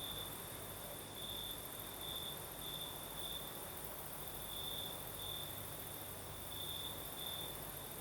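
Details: Crickets sing at night in the south, Crimea, as a night breeze blows: a sustained high trill with louder swells about every second or two, under a constant airy hiss and a thin shrill overtone.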